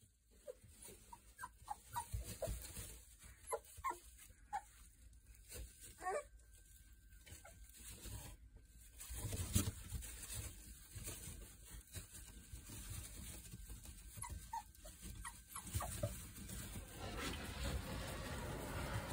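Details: Three-week-old Boerboel puppies from a Kodak and Rhianna litter give scattered short squeaky whimpers and yelps, some rising in pitch, amid shuffling and low indoor rumble; the cries grow busier toward the end.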